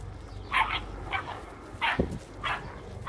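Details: Bracco Italiano puppy, 50 days old, seeing a bird (a frozen woodcock) for the first time: short, high yappy barks roughly every half second to second, over steady background noise.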